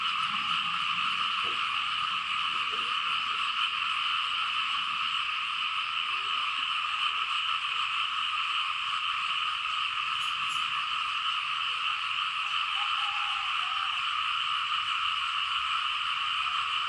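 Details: Frogs of the Lao countryside fill the rain-soaked fields with a loud, continuous chorus. Countless overlapping calls merge into a steady, shrill, ringing hum that never pauses, with soft low background sounds and a brief click near the middle.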